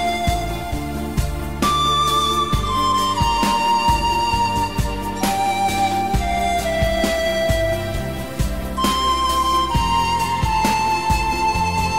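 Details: Melodic flute-led music with plucked accompaniment plays throughout, and no animal sounds are heard.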